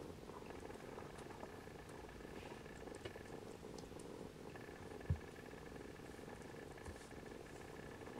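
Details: Continuous rumbling purr as Siamese kittens settle for a nap beside their mother Siamese cat, then nurse while she dozes; one short thump midway through, otherwise a hushed indoor room.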